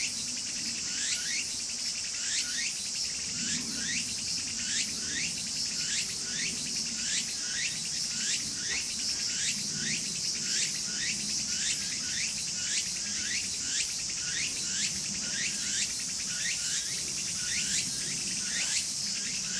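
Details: Walker's cicada calling vigorously in a garden: a steady high-pitched buzzing drone carries rapidly repeated rising, swooping chirps, about one or two each second, that run unbroken through the whole stretch, with faint low background noise.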